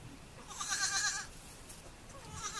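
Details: A single baby goat gives a short, high, strained bleat lasting under a second, with soft background rustle.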